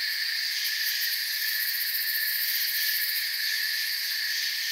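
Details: Crickets in a forest chirping softly as relaxing ambience: a steady, dense insect chorus of high, shimmering trills stacked in several bands, unbroken and even in loudness, with no other animals or voices.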